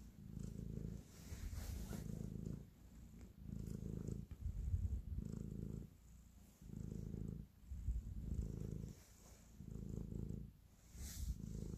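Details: Domestic cat showing affection while kneading, purring; low rhythmic rumble in about eight even swells, each near a second long, separated by short quieter breaths, a soft rustle near the end.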